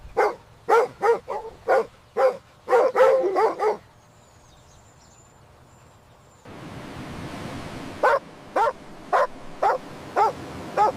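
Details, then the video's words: Puppies at play with baby rabbits on fresh green grass outdoors give clipped, high-pitched barks in fast series, then a near-silent gap, and finally evenly spaced yaps over a low hiss. "Dog barking sounds"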